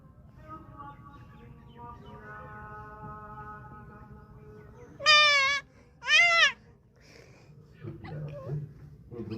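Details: Goat giving two loud, quavering bleats in quick succession halfway through, preceded by faint steady tones and followed by low muffled sounds.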